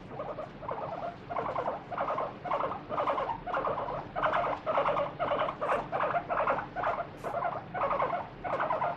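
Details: A free-roaming pet guinea pig named Moru screams while having its feet wiped during a daily body check; a run of short, loud squealing bursts repeats roughly twice a second, each burst strongly pulsed.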